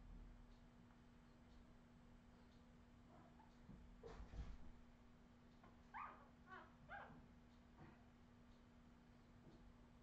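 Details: Australian Terrier puppies of the Redwing litter, recorded in 2018, give a short run of high, squeaky whimpers and yips clustered midway, with faint scattered squeaks before and after and a steady low hum underneath.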